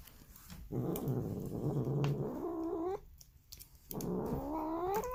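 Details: Polydactyl domestic cat voicing odd low growling grumbles that bend upward into whiny, rising harmonic cries, two such calls separated by a quiet gap, recorded indoors.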